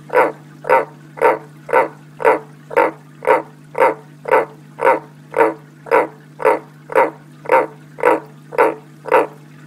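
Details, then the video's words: Pet frog named Jens calling ahead of coming rain, loud nasal barking croaks repeated very evenly about twice a second, each short and harsh, over a steady low electrical hum. "It is going to rain soon! Jens Must Yell About That!"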